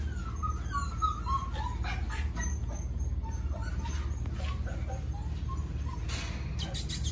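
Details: A litter of five-week-old pups from a dog named Ruby. Thin, falling squeals open the recording, followed by scattered faint whines and yips from several puppies over a constant low rumble, with a brief rustle near the end.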